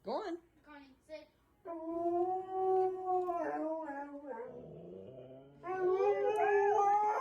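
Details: Siberian Husky's 'scream', a howl given at all hours, such as when wanting to go to the bathroom: a few short yelps, then long wavering harmonic howls that bend up and down, a brief dip, and a louder rising wail.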